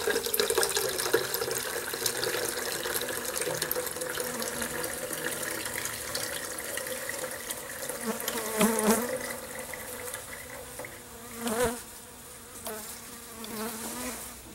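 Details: Honey bees kept in a garage tent with trees and water during freezing December weather, stirred up after a camera fell across their hives while being fed. A steady low humming buzz swells and fades, with crackling, rustling and liquid-like sounds throughout.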